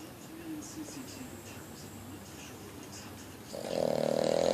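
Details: Male Boston Terrier asleep, quiet steady breathing and faint murmuring, then a loud, humming, whistle-like snore begins and carries on to the end.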